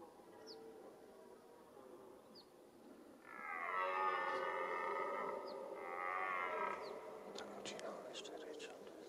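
A red deer stag gives two long, hoarse, harmonic-rich roars during the autumn rut.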